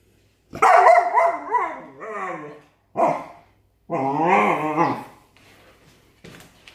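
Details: Bernese Mountain Dog at home during a new puppy's first week, unhappy with the puppy: loud, drawn-out, wavering harmonic vocal bursts, a long opening outburst, a short yelp-like burst, then another sustained grumbling howl, with quiet pauses between.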